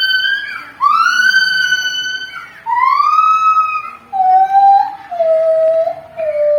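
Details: Javan gibbon with a siren-like voice: long, pure wailing notes starting high, sliding up and dropping, then stepping lower into held tones, with a fainter second caller underneath.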